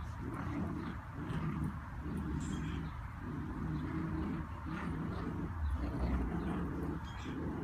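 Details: A schnauzer named Luna pulls at a tug-of-war toy and growls steadily: deep rasping pulses, each about half a second long, repeat almost without a break, with faint background voice.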